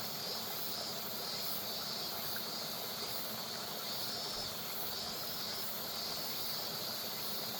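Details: A steady, high, shimmering summer drone of cicadas rises over the constant rush of flowing river water.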